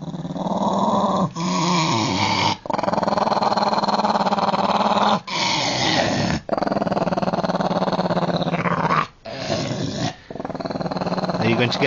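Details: Elderly deaf Jack Russell Terrier, annoyed at being found and told to get down from his spot, growls almost continuously indoors: a loud, low, vibrating rumble in long runs with brief breaths between them.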